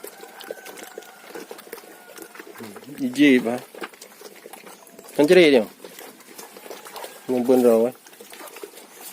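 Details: Sheep kept on a modern farm for three-month fattening bleat three times, each call a loud, shaky, vibrato-laden cry about two seconds apart, over a steady bed of soft rustling and trickling noise.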